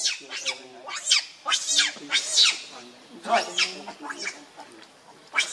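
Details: Shrill, piercing shrieks from the monkey Rainbow, angered and protecting Lucie from Kachoy, repeated roughly every half second to second in uneven bursts, each sharp and high with a rough edge.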